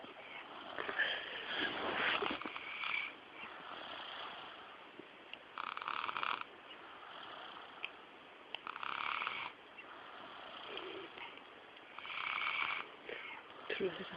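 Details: Sleeping dog snoring: harsh rasping breaths, each about a second long, recurring roughly every three seconds over a faint background hiss.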